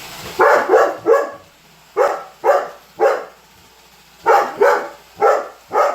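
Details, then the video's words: A Weimaraner named Holder barks at a Roomba robot vacuum, loud sharp barks in quick pairs and triplets separated by short pauses, with a faint household hum beneath. "Roomba robot vacuum vs Holder - Holder The Weimaraner"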